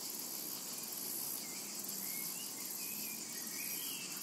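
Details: Summer meadow cicadas keep up an unbroken, shimmering high hiss from start to end, while soft, distant bird notes flick by now and then underneath.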